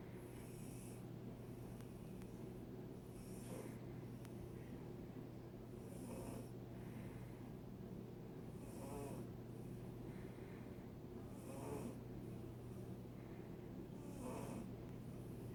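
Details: Silver Bengal cat snoring while enjoying the sunshine: soft, breathy rasping snores recur every two to three seconds over a steady low hum.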